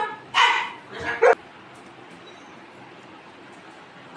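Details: Golden retriever family with puppies, kept as pets and being fed fruit, gives two short loud broadband barks near the start, then the room falls quiet; Bengali speech nearby.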